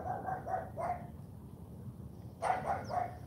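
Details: Charme, a female AKC Cane Corso, barks during a morning training session: a quick run of four sharp, mid-pitched barks, a pause, then three more in fast succession, with a trainer's voice giving commands between them.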